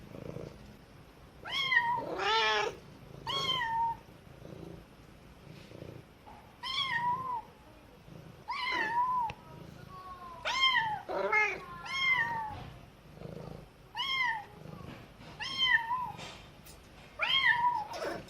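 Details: Kitten crying while being taught by its mother cat, the mother answering now and then: clear high meows with a rising-falling pitch, about ten calls spaced one to two seconds apart, a few lower overlapping cries among them, quiet room background.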